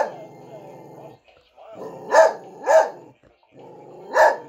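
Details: A dog barking at a Frosty the Snowman figure gives three loud, harsh barks, two close together and one after a pause, over a steady low hum.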